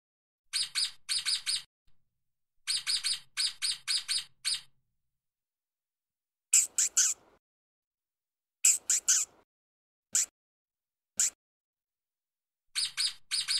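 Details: Running stoat on the ground giving fine chirps: rapid groups of high, bright notes alternating with occasional louder, rougher single or triple chirps, with short silent gaps between bursts.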